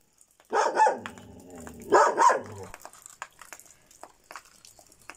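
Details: Šarplaninac dog giving two loud, rough barks about a second and a half apart, each a quick double burst, followed by quiet shuffling and faint clicks.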